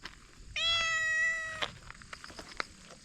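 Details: Domestic cat at a campsite in Yangpyeong, South Korea, meowing again and again to beg for a snack while acting cute; a single drawn-out, steady meow of about one second, followed by faint clicks and knocks.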